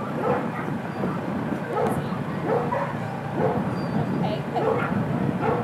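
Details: Rhodesian Ridgeback named Lucy at an ASFA lure coursing Open Finals on a Saturday; short barks repeat roughly every half second to second in a steady run, over a low outdoor rumble and murmur of voices.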